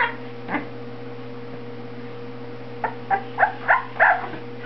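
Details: Two-week-old Boxer puppy giving short, high squeaking whimpers: one early squeak, then a quick run of five rising-and-falling squeaks in the last two seconds, over a steady low hum.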